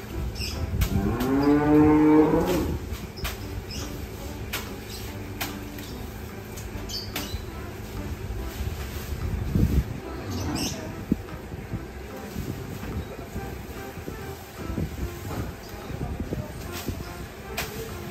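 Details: Large cattle on a farm being fed: one low, drawn-out moo rising then falling near the start, followed by continuous rustling, clattering and knocking from the stall.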